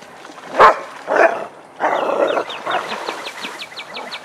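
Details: Vizslas Biscuit and Jericho playing in a den, giving three rough barks in quick succession, followed by a fast run of high chirping bird notes.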